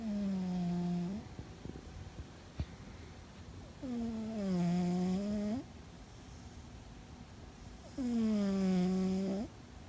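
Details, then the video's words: Loud snoring from Fuzzy the cat comes as three drawn-out, buzzy, humming breaths roughly every four seconds. Each dips slightly in pitch, then rises at the end, with near silence in the pauses. "Fuzzy and His Loud Snore"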